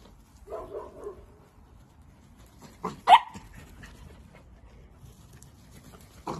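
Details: Playful miniature dachshund: a soft muffled yap early on, then one sharp, loud bark near the middle and another clipped bark at the very end, with quiet room noise between.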